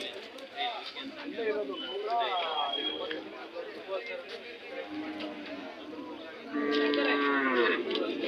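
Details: Hallikar cattle at the Monday KG Temple cattle fair market in Gubbi taluk, Tumkur district: several low harmonic moos with bending pitch, the loudest near the end, over constant crowd chatter, voices and background music.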